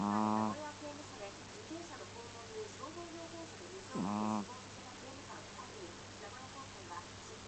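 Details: Smooth Chihuahua asleep in a strange sprawled posture, snoring: two loud, buzzy, low-pitched snores with rich overtones, spaced about four seconds apart, while a television news broadcast talks quietly in the background.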